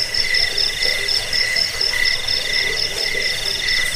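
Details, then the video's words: Crickets, offered as a rat repellent, sleep aid and bird-training sound: a shrill, pulsing chirp repeats roughly twice a second over a lower, steady trilling chorus, all close and loud. "Suara jangkik pengusir tikus pengantar tidur"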